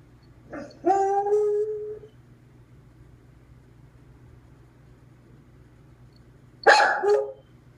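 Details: Dog alone at home after its owner left for the post office, starting to howl: a short sharp bark, then a drawn-out tonal howl sliding slightly down, followed by silence and a second short harsh bark-yelp.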